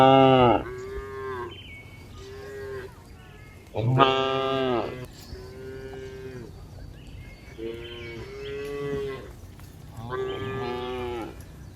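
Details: Several cows journeying over a hill, with repeated overlapping moos of varying pitch, some short and some drawn out, arriving every couple of seconds with little pause between calls.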